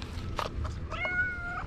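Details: In the morning, a female tabby cat, jealous after seeing a dog being petted, paws at the camera and gives a clear, drawn-out meow, as if asking to be petted instead.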